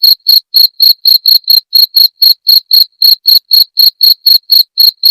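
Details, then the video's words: A cricket calling in crisp, ringing pulses, around four each second, sharp and shrill against total quiet. The recording is presented as a sound for repelling rats. "Suara Jangkrik pengusir tikus"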